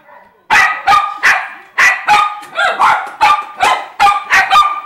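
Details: Poodle pair Jayme (larger) and Lendonn (smaller), husband and wife, launch after half a second of quiet into a run of roughly eleven tonal, evenly repeated barks.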